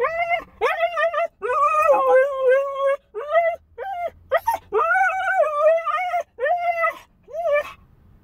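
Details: Siberian Husky puppy left alone in a car for a few minutes, singing, howling and whining: a run of wavering, tonal whines and short howls, some long and some clipped, with brief pauses between them.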